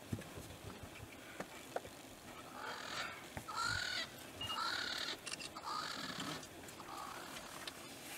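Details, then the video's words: Spotted hyena clan interacting at their den site in the southern Kruger National Park; high, strained harmonic squeals and whines run in a run of overlapping bursts across several seconds, with scattered knocks and clicks behind. "Spotted Hyena clan interacting at their den site"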